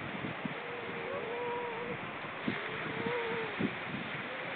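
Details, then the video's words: Seal vocalising, recorded on October 29, 2014: several drawn-out moaning tones that rise and bend, one arching call after another, with knocking sounds and constant background hiss. "Hyljes October 29 2014 Seal talk"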